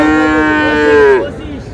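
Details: Moo from a Friesian or crossbred bull calf at Raniganj haat cattle market on 10 August. The call is held and rich, swells slightly in pitch near the end, then cuts off at about 1.2 seconds and trails into quieter crowd noise.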